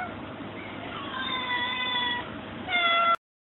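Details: Hungry cats in a crowd: one long, steady, tonal meow held for about a second, then a brief pause and a sharper, louder meow that ends abruptly.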